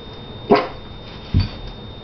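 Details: Two dog barks sound over a faint background hum: a sharper, higher bark first, then a deeper, shorter woof under a second later.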